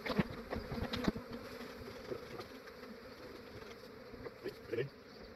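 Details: A huge honey bee swarm being gathered at dawn in Australia, before the bees grew active; a thick, low buzzing drone of many insects, with several close bees zipping past and brief handling clatter.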